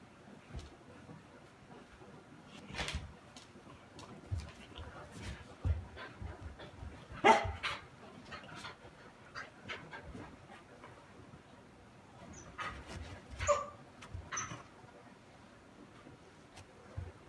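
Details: Patako, an eight-month-old brindle female Akita, complains sadly on 2 March 2018 while tied by a rope and unable to reach a cat-teaser toy; scattered short huffs and whimpers, with a louder strained cry midway and more whines near the end.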